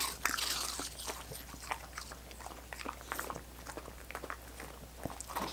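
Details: Dogs lap and chomp on coconut water popsicles, making rapid smacking licks, about four a second though unevenly spaced, mixed with brittle crunching bites over a faint low hum. No speech is heard.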